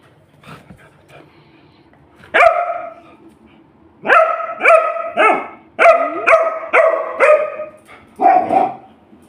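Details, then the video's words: Labrador Retriever barking at home to demand food, a single bark followed after a pause by a rapid run of seven barks, then one last bark. A faint voice is heard before the barking. "சாப்பாடு வெனும்மா எப்படி கேகுது பாருங்க.."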